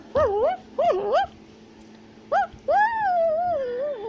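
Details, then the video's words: Tufted capuchin in South America calling while climbing: a few wavering, whistled squeals, then a long drawn-out undulating whine that slowly falls in pitch. "Capuchin Monkey is Climbing a Tree While Shouting and Chattering Sounds"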